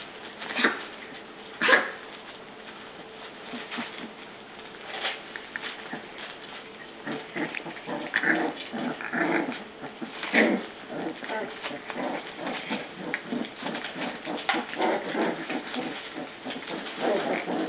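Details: Puppies at dinnertime around a food dish, with short rough growling bursts and small yelps scattered through a steady clatter and patter of eating and paws, plus a few louder sharp cries early on.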